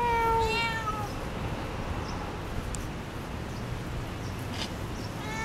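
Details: House cat in conversation with its owner, one clear falling meow at the start and a fainter one at the close, with quiet room noise between.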